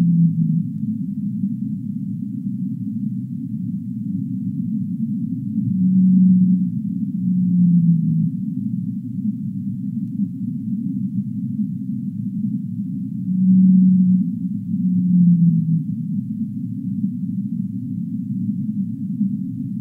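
A whale gives low, drawn-out moans that slide downward, over a steady deep underwater rumble.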